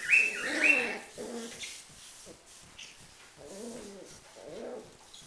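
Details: Fighting Schipperke: two shrill yelps open, followed by bursts of low, throaty growling that come and go in short rasping bouts.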